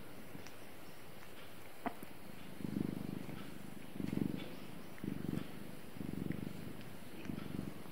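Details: Cat purring in slow waves: after a near-silent start with one faint click, low rumbling bursts come about every second and a quarter, each a deep vibrating hum that rises and fades.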